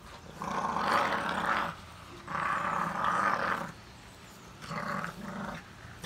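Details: Staffordshire Bull Terrier puppies playing tug of war with another dog; rough, rumbling growls come in three long bursts of about a second each, separated by brief quiet gaps.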